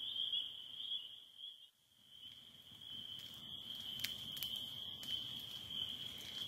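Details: Many spring peepers calling together in northern Michigan as their spring season ends, a continuous piercing trill-like wall of peeps that dips briefly near the start, later joined by sharp crackling clicks.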